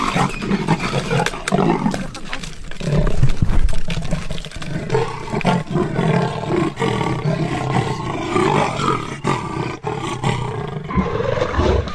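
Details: Leopards fighting in a tree, deep rasping roars and growls running almost continuously, with harsh snarling bursts.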